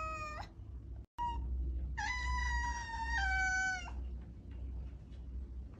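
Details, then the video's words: Calling domestic cat gives a short meow, a brief chirp, then a long drawn-out meow of about two seconds that steps down in pitch midway, with low background rumble. "Cat Meowing : The sound to call the cat is coming"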